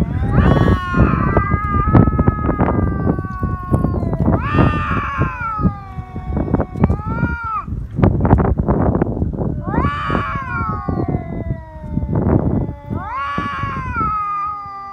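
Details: Stray cats fighting on Japan's Cat Day, 22 February, threats turning into biting and cat punches. Wavering yowls return every few seconds through heavy low rumbling and thumping noise.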